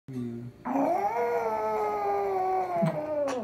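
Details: Japanese Chin dog howling like a wolf: a brief low whine, then one long tonal howl that rises and holds steady for about two and a half seconds before sliding down at the end.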